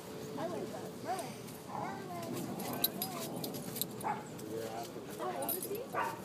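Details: Red Doberman puppy named Monkey play fighting with another dog at High Park dog park in Toronto; short harmonic barks and yips burst out at irregular intervals over six seconds, mixed with people talking and open-air park noise.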